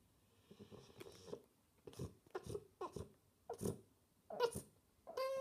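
A French Bulldog gives short, broken whining grunts, ending in a higher drawn-out whine, seeking attention.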